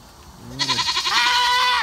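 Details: Domestic goat screaming while getting a bath: a loud, harsh, wavering bleat with rapid pulsing, rising then held steady for over a second, preceded by a short lower bleat; a man's voice comments nearby.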